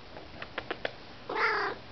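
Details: Domestic cats eating treats indoors; a few soft crunching clicks, then one short harmonic meow, with a woman's voice talking to the cats nearby.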